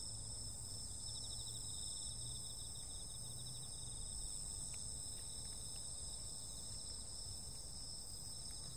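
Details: Insects calling on a summer night: steady, continuous high-pitched trilling chorus in several unbroken bands, with faint pulsed ticking beneath and low rumbling background noise throughout.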